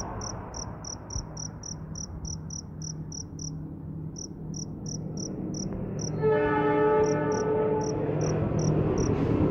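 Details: Cricket calling after rain while roaming in search of a mate: short high pulsed chirps repeated about four times a second, a brief pause near four seconds, then a loud low tonal hum with harmonics enters in the second half.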